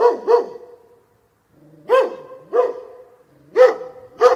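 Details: Deep-toned dog barks with a strong ringing tone, a quick double bark, a second of silence, then three more resonant barks spaced roughly half a second apart.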